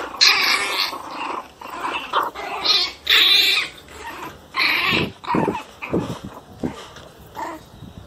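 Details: Fierce one-month-old pinscher puppies produce raspy snarling yaps in irregular bursts, loud at first, then shorter squeaky snaps with brief quiet gaps between them.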